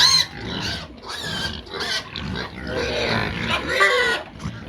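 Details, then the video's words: Pigs calling loudly when they want feed: bursts of harsh, noisy squealing about a second long, separated by short gaps, with some higher whining tones between bursts. "This pigs are so Noisy when they want Feeds"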